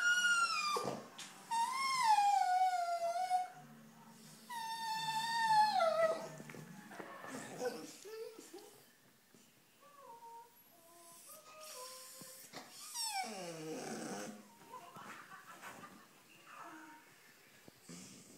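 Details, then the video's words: Two-year-old Airedale terrier indoors calling out while watching a wildlife documentary about African wild dogs; long wavering howls with whining slides in the first seven seconds, then softer broken whimpers and yips over faint television sound. "Poppy watching African wild dogs on tv"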